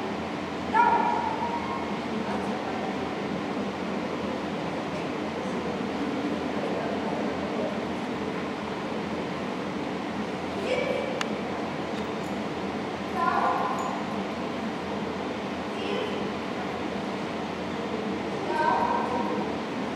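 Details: Border Collie Shepville Gamble at an Obedience-1 competition for the St Petersburg Cup, 11 February 2018; three short, sharp barks spaced several seconds apart rise above a steady murmur of crowd and hall noise.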